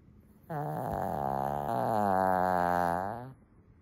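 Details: Loud snoring from Lacey, a sleeping female Shih Tzu: one drawn-out, vibrating snore of nearly three seconds that wavers slightly in pitch partway through, against a quiet room.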